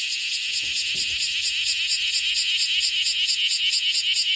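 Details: Bear cicada held in hand, the first of the year, singing a loud, continuous buzzy drone with rapid pulsing about twice per second; faint low handling noises underneath.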